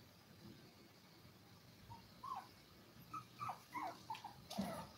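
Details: A litter of seven Toy Poodle puppies, five weeks old: after a quiet start, a run of rising and falling squeaky whimpers comes about every half second, ending in a brief louder knock.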